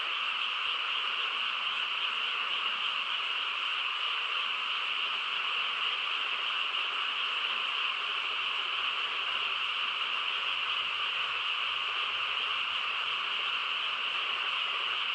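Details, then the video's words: Many frogs calling together on a calm rural night, forming an unbroken, shrill buzzing drone that holds even in loudness for the whole stretch, faint low rumble beneath. "고요한 시골 밤에 개구리 합창 소리"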